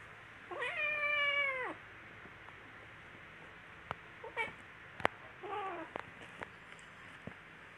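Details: Playful kittens wrestling, with one long wavering meow followed by several short, soft chirping mews and scattered clicks and bumps.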